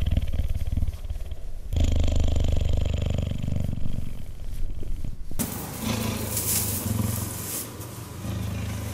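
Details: A cheetah purrs while cuddling, a low throbbing rumble for about five seconds, then a burst of rustling, hissy noise over a quieter purr.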